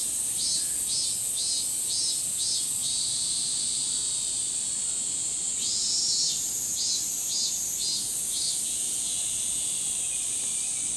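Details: Min-min cicadas chorus loudly in a summer forest, one voice pulsing 'meen-meen-meen' about twice a second over a steady high hiss.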